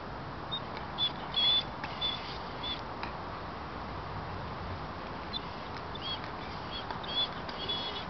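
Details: Yambo, a pet dog, whines on spotting a cat on the balcony above: thin, high whistled whimpers, short and slightly wavering, come in scattered bursts over a steady hiss of background noise.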